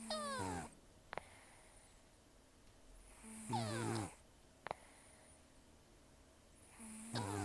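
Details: Elderly rescued cat, estimated 10 to 14 years old, taken in October 2024, almost toothless from gum disease and a long outdoor life, snoring roughly while asleep: harsh nasal snore bursts with whistling tones, one breath every three to four seconds, quiet room.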